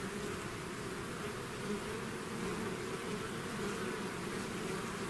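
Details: Honey bees swarming out of the hive: an unbroken, even hum of many wings, low tonal bands shimmering beneath a wide airy fizz, constant in loudness throughout.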